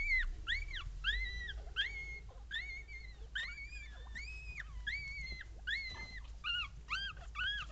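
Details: Papillon puppies, one female and two males born 16 April 2013, lie with their mother Tinka and cry in steady high squeaks. Each call rises then falls, repeated about twice a second against a faint low hum.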